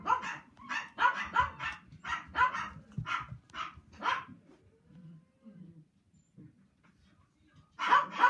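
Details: Playful male Toy Poodle puppy, born in 2018, giving a quick series of sharp yappy barks for about four seconds, a quiet pause with faint soft sounds, then another bark at the end.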